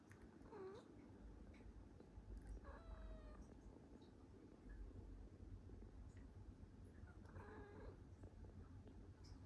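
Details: Pippa, a female tortoiseshell cat living with a ginger cat named Fox, gives small, gentle meows asking to be petted: three short, soft meows near the start, around three seconds and near seven and a half seconds, over a steady low rumble indoors.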